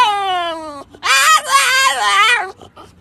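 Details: French Bulldog squeaking while walking out with its owner: a long falling whine, a brief pause, then a loud, wavering, strained squeal lasting over a second.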